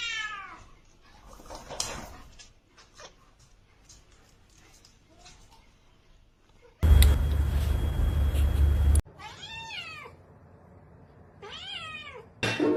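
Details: A pet cat giving drawn-out, wavering meows that rise and then fall, two clear calls near the end, after a burst of loud rumbling noise and scattered household sounds.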